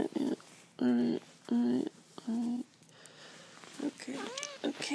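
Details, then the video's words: Cat named Savvy during her morning routine, meowing for a game of fetch after dropping the toy in front of her owner; three loud sustained meows in a row, then softer chirps and rising-falling mews, with a person talking quietly. "Savvy morning routine, "meow fetch""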